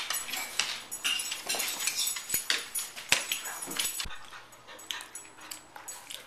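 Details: Dogs Beauty and Rosie at home on a typical night. Rapid high whiny yips and whimpers repeated many times a second, breathy and excited, fading after about four seconds.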